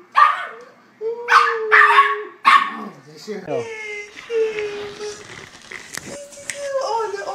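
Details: A dog from a compilation of cute puppy scenes. Several sharp barks come first, followed by a thin drawn-out whine, with people talking and background clatter.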